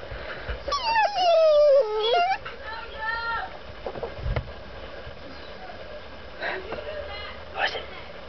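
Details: Female dog Sophie, eager to get out of a truck, gives one loud falling whine lasting over a second, then softer whimpers amid quiet background noise and a brief human voice.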